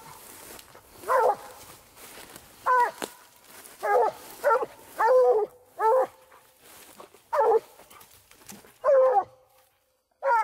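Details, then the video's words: Night coon hunt with a Treeing Walker Coonhound: loud tonal barks and short bawls in uneven bursts, roughly every one to one and a half seconds, with a faint steady tone underneath and outdoor quiet between. "COON HUNTING WITH WALKER"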